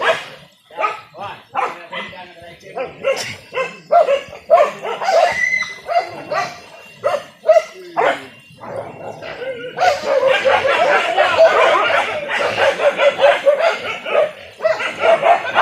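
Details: Village dogs hunting wild boar in Indonesia, a traditional hunt using dogs and spears: rapid, uneven barks and yelps, over two a second, turn into a dense, nonstop chorus in the last third, with human voices mixed in.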